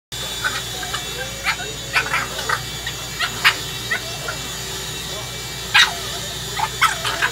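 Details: A 6-month-old Boston Terrier attacking a vacuum cleaner it dislikes gives short, sharp barks in scattered bursts over the vacuum's steady roar.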